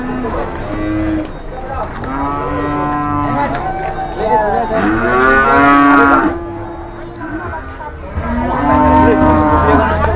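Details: Raging cattle at a market in 2021 bellow loudly and repeatedly, long harmonic moos roughly every two to three seconds, some rising then falling, over background crowd murmur and shouting.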